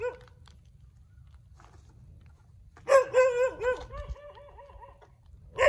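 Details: Dogs barking in the street: quiet at first, then a burst of loud harmonic barks rolling into a wavering, howl-like yelping run before a final sharp bark, over low rumbling background noise.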